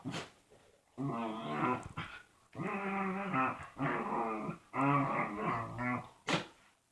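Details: Indoor dog making weird noises before a hug: drawn-out, wavering, harmonic groaning and whining phrases of about one second each, rising and falling in a talking-like pattern, with short sniffs or huffs between.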